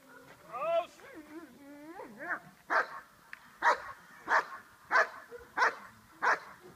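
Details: Dog in Schutzhund training, hold and bark exercise: a person's voice at first, then six sharp barks repeated about every 0.6 seconds.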